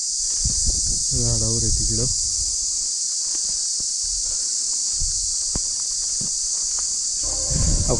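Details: Cricket calling from a tree on Madhu Makarand fort, Maharashtra, by day, a sound said to fill the mind with fear: a continuous piercing high-pitched buzz throughout, over a man talking and footsteps.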